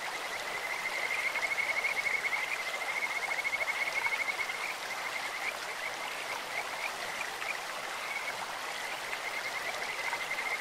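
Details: Kajika frogs in a stream give a long, rapid, high trill of even pulses for several seconds, then softer repeated trilling, with the babbling of flowing water underneath.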